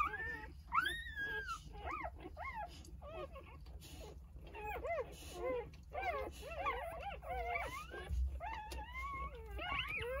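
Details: Three-day-old Jindo puppies from a litter of nine, lying with mother Sarang, give clear high, bending squeals and whimpers. Each cry rises and falls, often in overlapping bursts from several pups, over a faint low background hum.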